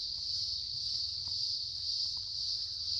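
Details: Crickets heard outside a house, noted as noisy, produce an unbroken high-pitched shrill drone with a faint pulsing texture, over a soft low rumble and scattered faint ticks.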